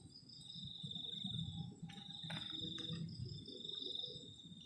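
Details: Crickets on a cold night beside a garden shelter at a forest-edge camp: a steady, high, ringing trill runs throughout over a low, rushing rumble, with a brief sharp knock just after two seconds.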